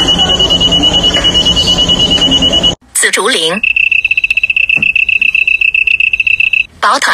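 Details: Crickets chirping, a sound used for courtship or territorial declaration: a high, rapid pulsed trill runs steadily for nearly three seconds, a brief voice-like sound follows, then a second shrill, evenly pulsed trill lasts about three seconds.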